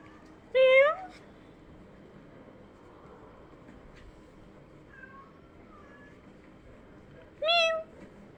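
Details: Indoor scene of kittens hearing meows: two short, rising meows about seven seconds apart with faint, soft squeaks in the quiet stretch between them.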